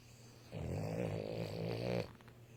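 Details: A male Boston Terrier snores as he falls asleep, with a low, rumbling, fluttery rasp drawn out over one long breath.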